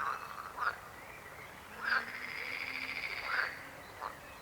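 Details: Frog croaks: brief rasping bursts around half a second and four seconds apart, framing a longer rolling trill that runs for about a second and a half in the middle.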